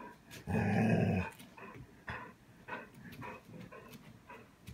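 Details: Hatchi, a seven-year-old female Golden Retriever, reacting to a vacuum cleaner: one loud, rough, deep bark lasting under a second, followed by quieter clicks and knocks in a small room.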